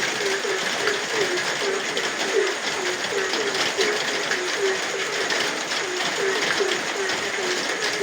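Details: Frogs calling at night in the rain: short low croaking notes repeated quickly, about two or three each second, in a steady chorus over the constant hiss of heavy rainfall.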